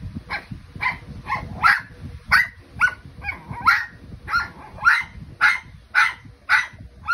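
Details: Dog said to be singing along with a train, here giving short sharp barks or yips repeated roughly twice a second in an uneven series, with low rumbling background noise throughout.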